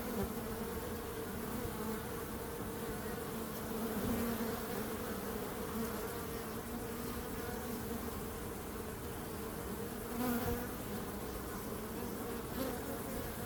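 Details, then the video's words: Bees give off a continuous layered hum, low and even, with slight swells in loudness now and then and an unbroken hissy background. "Relaxing Calming Bees Sound"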